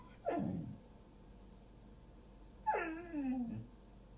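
A golden retriever gives two drawn-out whines, each sliding downward from a higher pitch.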